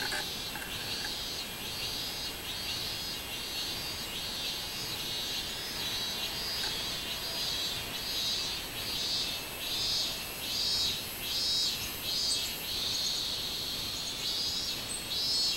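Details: A robust cicada (minminzemi) sings loud, buzzy high pulses repeated in a steady pumping rhythm, recorded on 24 July 2016.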